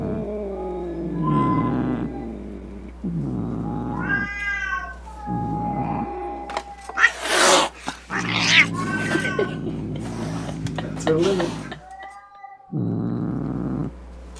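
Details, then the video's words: Angry cat calling to drive off rats, opossums and other cats: wavering yowls rising and falling, broken midway by harsh bursts of hissing and spitting, then a final steady moan over low hum. "Som De Gato Miando Bravo - Ronronando Para Espantar Rato, Gabiru, Saruê e Outros Gatos"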